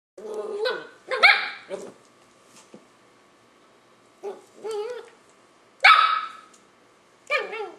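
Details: Five-month-old Löwchen puppy trying to get a grumpy cat to play: high, yelping barks and whiny, wavering yips in short clusters, some sliding up then down, separated by brief quiet gaps.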